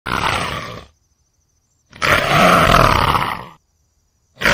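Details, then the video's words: Leopard roaring: two loud, harsh, broadband snarling roars, the first under a second long and the second about a second and a half, separated by silence, with the start of a third at the end. "Som do Leopardo"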